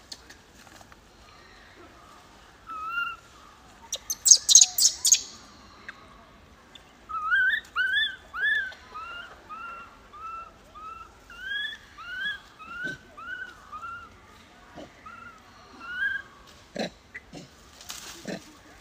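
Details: Young wild macaque crying after being bullied by its mother: a short burst of shrill screams, then a long series of arched, whistled whimpering notes repeated roughly every half second, rising and falling, ending in scattered clicks.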